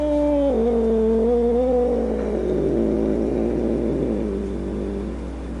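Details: Grumpy domestic cat giving a long low drawn-out yowl, starting higher then dropping and wavering for several seconds before fading into a rough, noisy tail; steady background hum throughout.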